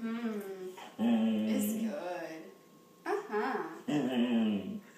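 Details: A German Shorthaired Pointer vocalizes as if talking, asking for something, seemingly saying 'please': three sustained groaning whines, the middle one long and level, interleaved with human speech.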